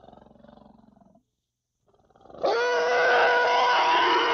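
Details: Young African elephant giving a soft, pulsed, low rumble. After a short pause it breaks into a loud, sustained, harsh harmonic squeal that continues to the end.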